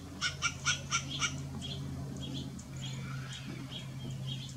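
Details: Western gray squirrel. A western gray squirrel barks in a fast series of five harsh, raspy notes, each about a quarter second apart. Fainter scattered calls follow, over a constant low background hum.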